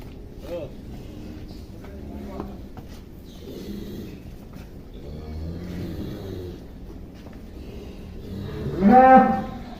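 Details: Giant young cow named Atta Halilintar, 2022, as people coax it to come inside: quiet shuffling and distant voices, then one loud, full moo near the end.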